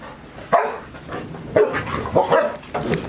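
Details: Golden Retriever puppies, 158 days old, five of them kept indoors all day at Ain Village as Typhoon No. 24 approached, 30 September 2018; short sharp barks and yips in bursts roughly every half second to second, room ambience.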